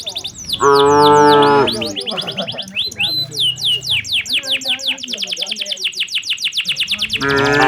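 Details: Dense bird chirping and twittering surround a loud single moo near the start and another at the end, from tame cattle walking toward their pen in the late afternoon.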